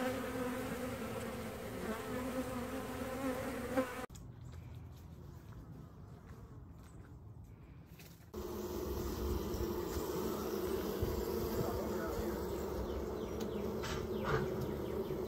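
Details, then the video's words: Honeybees at a shot-up hive on a trailer set for demolition, their steady low buzzing drone filling the air, interrupted by a few seconds of near silence midway before the humming resumes at full strength. "Amateur Beekeeper tries to save Honey Bees"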